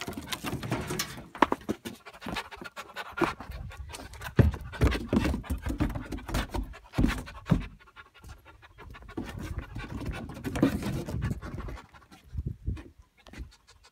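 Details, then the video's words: Solo, a house-raised goat rejected by his mother as a baby and taught by the family dogs to pant, excitedly bouncing and hoping to come indoors; quick, breathy, rhythmic panting bursts with scuffs and thumps of movement. "Dogs taught goat to pant"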